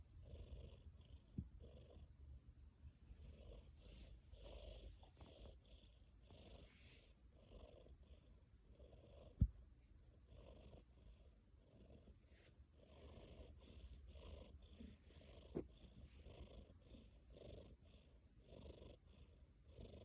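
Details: Sleeping tabby cat purring and snoring indoors: a low, steady rumble broken into soft rhythmic breaths, each carrying a faint airy hiss, repeating about once a second, with a single sharp click midway.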